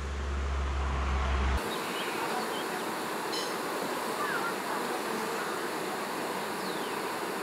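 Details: A honey bee swarm is being moved into a new hive, with some bees already crawling in. A dense, steady, broadband buzz fills the whole stretch, with a louder low rumble in the first second and a faint voice.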